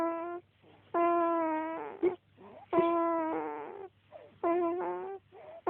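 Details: Jasper, a pet dog, snores in long nasal, whistle-like tones, each breath lasting about a second, broken by brief softer snorts and gaps in an uneven rhythm.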